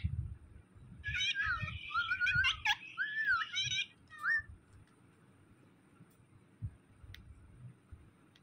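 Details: Mithu, a pet cat that gets mad when he sees the phone, lets out harsh, wavering, throaty yowls for about three seconds, then one short cry; afterwards an indoor room falls quiet apart from low thumps and handling noise.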